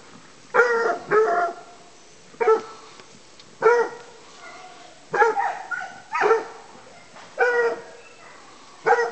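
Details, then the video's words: Bleu de Gascogne scent hound giving tongue on a wild boar hunt in an enclosure; bays follow one another in a steady run, some doubled, each short and resonant with a clear tone. "Bleu de gascogne- boar hunting"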